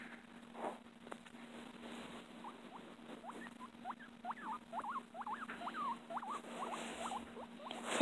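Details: Pet guinea pig giving a run of short rising squeaks, about a dozen quick chirp-like notes clustered in the second half, over a steady low hum with faint rustling.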